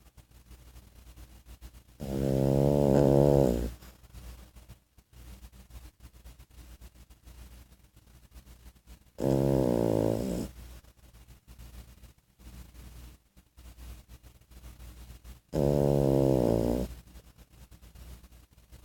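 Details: A French Bulldog puppy, 14 weeks old, asleep and snoring on 2 March 2014: three loud, droning, buzzy snores, each lasting about a second and a half, coming roughly every six to seven seconds, with faint breathing between them.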